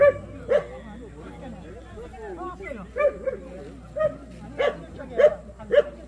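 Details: Jindo dogs at the 66th Korea Best Jindo Dog selection contest held by the Korea Jindo Dog Association; sharp, short barks ring out irregularly, roughly one each second near the end, over steady people's chatter and crowd murmur.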